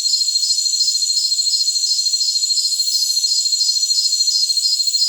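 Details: Jungle crickets in a tinnitus-masking recording: high, evenly spaced pulses repeat about three times a second over a steady shrill hum. No low sounds, and no other animals or voices.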